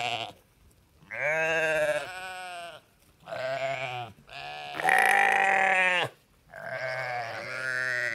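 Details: Repeated sheep baas, five wavering bleats in quick succession, each roughly one second long with brief pauses, the middle one loudest and highest; nothing else audible.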